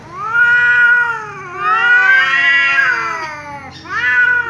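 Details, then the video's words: Angry tom cat caterwauling in a standoff with a persistently meowing ginger cat: continuous swelling, wavering yowl that dips and rises again, ending in a fresh loud upward-bending cry. "angry tom cat meows loudly because ginger cat keeps meowing"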